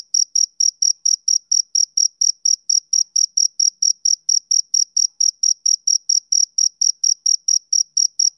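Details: Rhythmic chirps of a male cricket on a summer evening, rapid high-pitched ticks repeating roughly four times a second in an unbroken, even train over a silent background.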